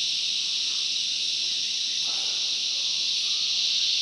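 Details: Cicadas in the bush producing a constant loud, high-pitched buzzing hum at even volume, with a soft lower swish partway through.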